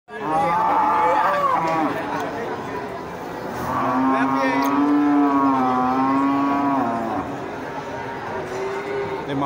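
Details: Cattle lowing: one long, steady moo with rich harmonics holds for about three seconds midway, after fainter calls, over background voices and crowd chatter.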